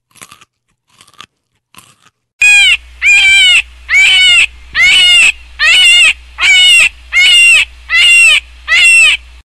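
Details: Hare calling: a strained, harmonic squeal starting after a few faint clicks, then repeated steadily about every 0.6 seconds in loud, even bursts, with a constant low hum beneath.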